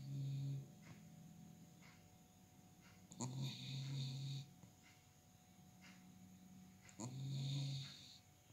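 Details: Pet dog snoring indoors: low, droning tonal snores of about half a second to a second, three louder ones at irregular intervals, with fainter breaths between and a steady background hum.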